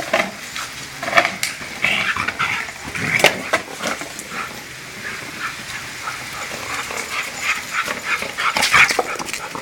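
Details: Excited Siberian Husky fixated on a bottle, letting out thin, strained whimpers and brief squeals between bursts of crinkling, clattering plastic noise.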